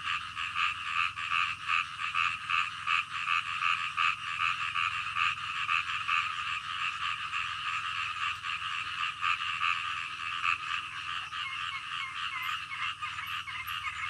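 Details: Frogs at night croaking in a rapid, steady pulsing chorus, many overlapping callers; a few high chirping notes appear near the end over a low constant hum.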